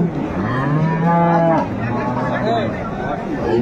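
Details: Deep, drawn-out lowing from cattle among dairy cows and calves at Ambari market in Dinajpur, 25/8/25: a low steady moo for about a second, then a shorter wavering call, with murmuring traders in the background.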